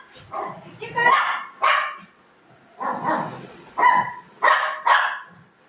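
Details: Playful golden retriever dog with mom at bedtime, night: loose, uneven bursts of barking and yelping, two quick barks, a pause, then four louder barks close together, over a faint high-pitched hum indoors.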